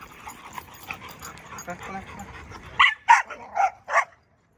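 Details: Dog at a familiar old dog park on 26 November 2023, giving four sharp, loud barks in quick succession near the end, after a stretch of people talking softly in Mandarin.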